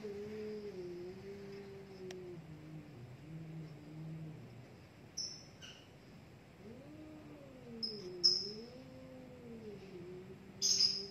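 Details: Caterwauling from two fighting cats locked in a standoff. A sustained low growling yowl wavers and dips, then swells into a rising and falling wail, with scattered short high chirps in the background.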